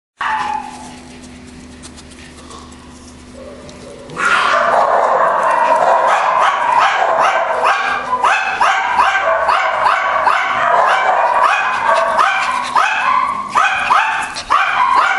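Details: Several Schipperkes: about four seconds of near-quiet background, then a sudden burst of rapid, high, yappy barks repeated several times per second, overlapping and continuous until the end.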